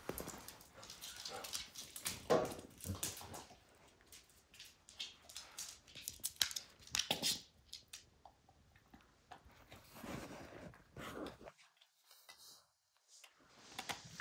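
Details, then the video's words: Max, a pet dog, indoors chewing apart a baseball hide: irregular bursts of crackling, tearing clicks and soft gnawing, with short quiet gaps between bouts. "Max Destroys A Baseball Hide | NOT ASMR | DOG CHEWING"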